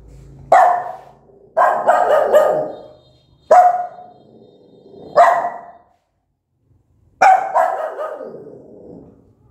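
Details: Mother dog, angry, barks loudly at her newborn puppies in five separate bursts spaced one to two seconds apart, some doubled into quick pairs, each sharp onset trailing into a brief fading echo.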